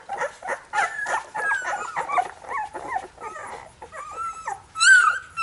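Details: Labrador Retriever puppies whimpering, short squeaky whines with a few longer level whistled whines, one louder high squeal near the end.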